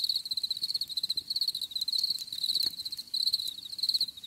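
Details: Cricket chirps in a nature recording made for relaxation and stress relief, a shrill pulsing trill broken into quick bursts about one and a half per second, faint rustling underneath.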